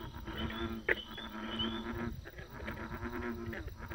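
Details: Croaking frogs fill a short stretch: low, groaning drawn-out calls mixed with crackling pulses and a sudden sharp snap early on, over a constant background hum.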